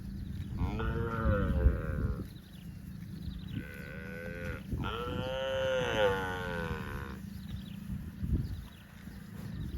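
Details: Roaming in the fields, cattle moo three times in a row: a short call, then a brief one and a longer, fuller moo of about two seconds, against steady low background rumble.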